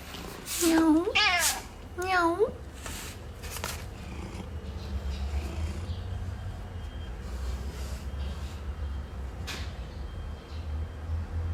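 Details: White cat Nai Cha meowing: three drawn-out, wavering meows rising then falling in the first seconds, followed by a steady low rumble, faint purring and quiet human voices.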